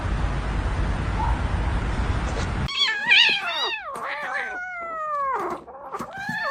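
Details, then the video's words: Kitten giving a run of short, bending meows, several rising then falling, following a stretch of loud hiss-like background noise; a quiet room otherwise. "Kitten meowing"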